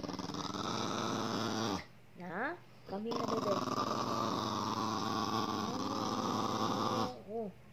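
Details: Pet dog making talking-like vocal noises while being teased and annoyed by its owner; long drawn-out moaning, groaning sounds with rising and falling harmonic whines, a short break near two seconds, then another sustained grumbling stretch.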